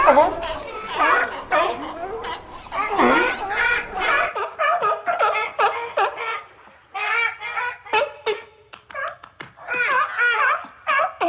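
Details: A group of seals gives overlapping harsh, honking barks that blend into a noisy chorus, then breaks into spaced single yelps and short bleating cries with gaps between them.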